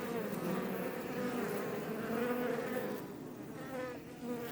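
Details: Honey bees outside their Langstroth hive west of Roquetes, Tarragona, Spain, recorded up close; a rich, wavering drone of many wingbeats, with individual bees' whines gliding up and down over a steady hum.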